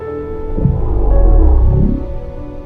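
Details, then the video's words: Baby blue whale off Southern California near the end of summer blue whale season, recorded underwater by GoPro, vocalizes at a boat with a deep, swelling low rumble, under soft background music. "And upon listening to the GoPro footage, we realized this baby blue whale was vocalizing at us."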